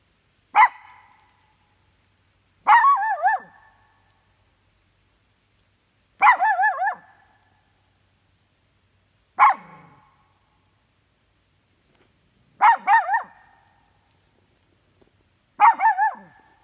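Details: Two dogs out at a campsite bark at coyotes they smell close by. Six loud barks about every two to three seconds, several with a wavering, yodel-like break, in an otherwise quiet setting.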